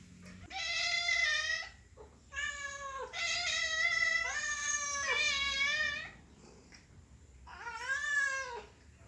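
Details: Cat giving happy meows: a short mew, then a run of long, strongly harmonic meows that rise and fall, and after a pause a final drawn-out meow with a sliding pitch; quiet indoor background.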